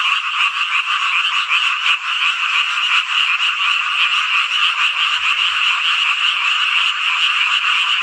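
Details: Summer night frog chorus in rural Hongcheon, Gangwon Province, Korea: many callers overlap into a continuous buzzing, pulsing croak, slightly throbbing in loudness, with nothing else audible.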